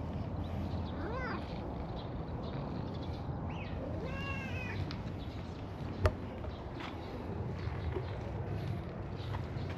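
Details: Stray cats, a cream cat and an orange tabby roaming a park together on a mild spring day. Two short, bending meows about three seconds apart, then a sharp click over constant low outdoor background noise.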